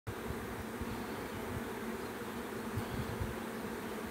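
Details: Bee swarm: a dense, continuous low hum of many wings, steady and unbroken, with a broad rough texture and no distinct individual calls.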